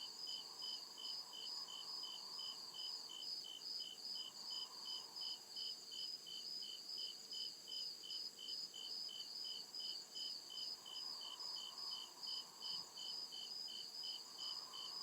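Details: Night chorus of crickets deep in the woods, with rapid regular high-pitched chirps repeating throughout fifteen seconds against a constant shrill trill and a faint murmur that swells and fades lower down; one brief low knock near the end.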